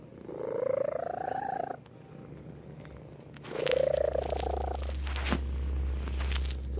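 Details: A pet cat purrs while gripping with a little paw. Two long humming tonal surges with faint overtones are separated by a quieter stretch, then a steady low rumble and a sharp click near the end.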